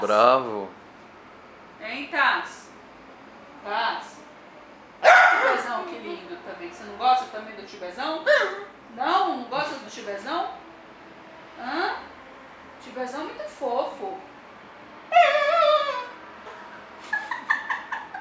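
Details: TAS, a dapple piebald Dachshund, complains, upset that his sister Thai sits on the owner's lap. His voice comes as bursts of wavering, whiny grumbles and yowls that bend up and down in pitch, with short pauses between them and a sharper high whine near the end.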